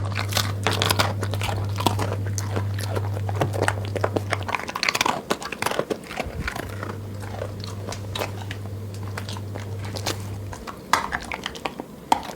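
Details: Pet dog eating in a grazing manner, like a goat: crisp crunching bites and chewing in irregular bursts over twelve seconds, with a steady low electrical hum that drops out in the middle.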